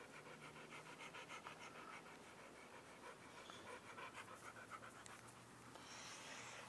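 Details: Siberian Huskies Shadow and Charlie at a dog park at night: quick rhythmic panting, about three breaths a second, soft and fairly close, with faint background noise and a brief hiss near the end.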